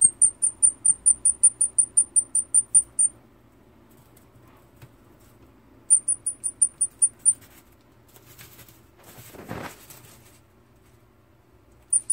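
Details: A baby long-eared hedgehog, separated from its mother, calls desperately for her with rapid, very high, thin peeping whistles.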